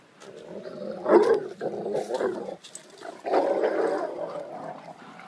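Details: Male Rottweiler asserting dominance over a bull terrier: sustained, rough, throaty growling in uneven surges lasting several seconds, with a brief pause midway.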